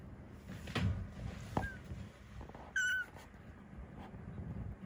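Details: Rescued kitten Ame, an estimated 3 to 7 weeks old, from a compilation of affectionate, sleepy and hungry calls. A single short, thin, high meow with a faint squeak before it, over a low background rumble and soft clicks.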